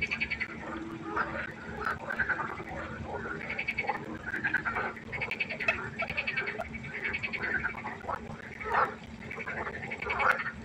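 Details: Frog chorus at night by a pond: many overlapping croaks and trills layered densely, pulsed calls centred in the mid range with faint clicks, a steady low hum underneath throughout.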